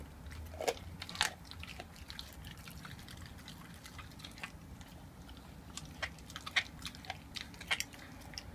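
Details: An 11-month-old raw-fed Staffordshire Bull Terrier eats a raw chicken quarter, with irregular wet crunches and sharp bites.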